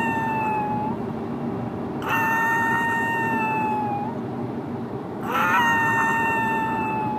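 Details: A Yorkshire Terrier howls along as its owners sing the bye-bye song sung before walks or car rides, the only tune it howls to, in long, steady, high-pitched notes that waver and slide at the ends.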